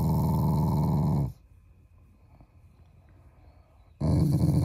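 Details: Playful family Shiba Inu showing affection with a growl: a rough, low rumble, a short quiet gap, then the growl starts again.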